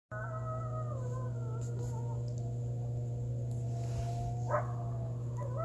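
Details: Coyotes howl together in a backyard on November 29, 2020 under a waxing gibbous moon, long wavering, sliding tones over a steady low hum.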